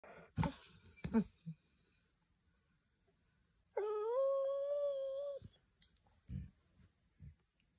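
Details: Dog in Russia making an emotional sound right after being slapped by a cat indoors: a few thumps and scuffles, then a single drawn-out, nasal, slightly wavering whine lasting under two seconds, followed by soft shuffling.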